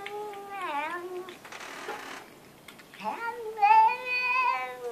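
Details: Domestic cat making drawn-out, talkative meows that sound almost like speech: a wavering, rising-then-falling call, a pause, then a longer bright meow that rises and holds steady, with rich harmonic overtones, indoors.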